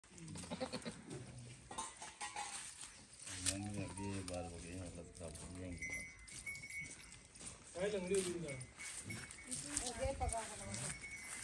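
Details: Goats on a goat farm give wavering, quavering bleats in short bursts, several overlapping, while people talk nearby and a steady high tone runs through the background.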